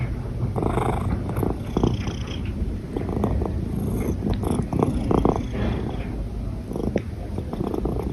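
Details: A purring cat with hiccups, its continuous deep purr pulsing throughout and interrupted by short broadband catches in the breath.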